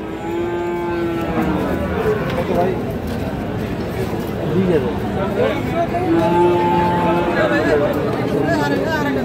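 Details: Sahiwal breed bulls for sale at Ambari cattle market, Parbatipur, Dinajpur, on 30 June 2025, being bought by farmers from Chittagong. Long, steady moos rise over a dense market din of crowd chatter and noise.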